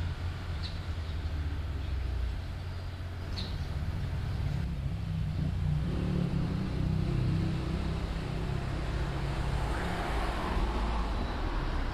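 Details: Steady low engine and traffic rumble fills the recording, with only a couple of faint, brief ticks and no clear animal voice.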